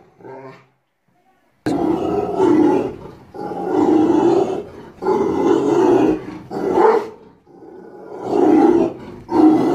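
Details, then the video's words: Aggressive Rottweiler guarding a house, giving deep, rough, drawn-out barks in long bursts of one to two seconds, separated by short pauses after a brief quiet opening. "Aggressive Rottweiler Dog Barking And Guarding House"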